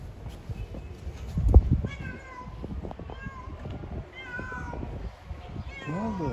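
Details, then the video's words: Domestic cat, a female in heat calling for a male: a series of short whining meows with clear stacked harmonics, ending in a sharply wavering, strange-sounding cry, over a low rumbling background with a thump. "The female cat meows to mate with the male cat, making strange noises"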